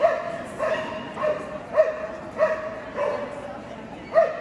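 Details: Löwchen at an AKC conformation sweepstakes judging, Kentucky Exposition Center, Louisville, KY, March 18, 2022, three entered; sharp mid-pitched barks repeating roughly every half second over steady indoor crowd murmur.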